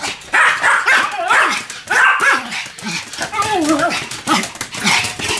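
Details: Pair of Pomeranians, Sam and Marin, in duet barking. Loud sharp yaps open the clip, then drawn-out wavering howl-like tones sit under the quicker yips in the second half.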